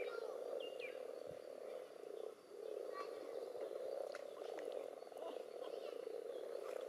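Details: Common toads and various frog species spawning in a pond, jostling in the water among spawn clumps and strings: a dense, steady purring chorus of low trills, dipping briefly midway, with faint higher chirps and some interference noise.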